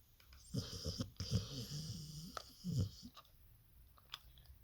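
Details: Sleeping Staffordshire Terrier snoring indoors: low, rumbling breaths in short bursts, one cluster near the start and another after a pause, with soft wheezy hiss between snores in a quiet small room.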